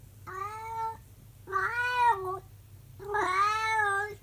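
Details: Monkey, a calico cat, gives a mini howling session on 16 March 2023: three drawn-out, harmonic, wavering howls of about a second each, separated by short pauses, over a low steady indoor hum.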